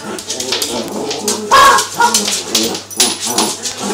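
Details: Pair of Cavalier King Charles Spaniels in play fighting: noisy tangle of growls and gruff snorts with a brief high whine midway, rough scuffling throughout.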